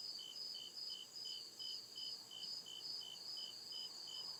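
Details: Nighttime cricket chirping from deep woodland: quick regular pulses of shrill sound, about two to three per second, over a steady high background ring.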